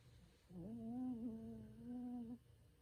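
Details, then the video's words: Snoring of a sleeping Bichon Frisé called Ttangkong-i, described as noisy: one steady, nasal whistled tone lasting nearly two seconds with a small wobble midway, then silence apart from a low room hum. "비숑 땅콩이 💤 코골이"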